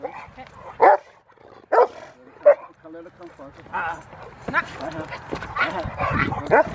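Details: Rottweiler recorded at a Victoria Rottweiler Club event, February 15, 2020. Three loud barks come about a second apart, followed by quieter barking mixed with crowd chatter and handling noise.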